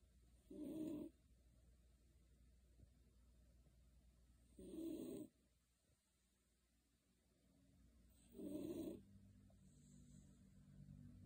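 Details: Shiloh the Beagle, fast asleep under a kotatsu, snores three times at roughly four-second intervals, each a short buzzy low rasp, with quiet hum between.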